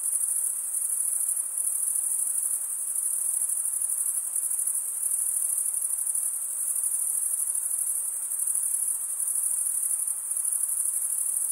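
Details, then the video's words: Crickets stridulating, chirps made by drawing one wing along the toothed vein of the other, fill the air with a dense, unbroken high-pitched shimmer that pulses faintly and holds steady throughout, with no other sounds. "Most relaxing cricket sound"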